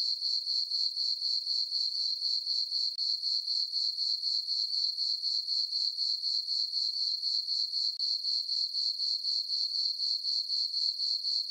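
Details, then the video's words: Crickets chirping on a farm meadow on a peaceful summer night under a full moon: a steady, high, shrill trill pulsing about four times a second without a break, with no other sounds. "Cricket chirping sounds for sleeping"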